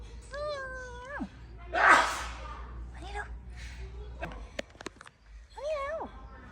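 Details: Unusually coloured street cat at the old 100-year market of Khlong Sip Song, Lam Luk Ka, Pathum Thani, Thailand, January 2025: a level, drawn-out meow ending in a downward drop, a rustle and soft talking, then a second, shorter wavering meow.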